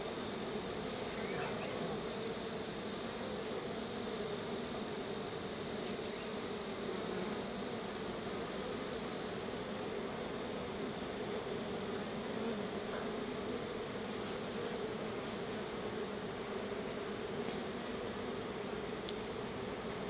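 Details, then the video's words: Swarm of honey bees at the hive coming out for a treat of store-bought honey, an unbroken low droning buzz that holds steady throughout, with a thin high-pitched whine in the background. "feeding my honey bees a treat"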